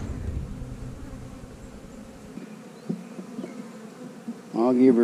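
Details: Honey bees in an opened hive while frames are moved during a search for the queen; a steady low hum runs throughout, with a loud crackle near three seconds and a man's voice at the end.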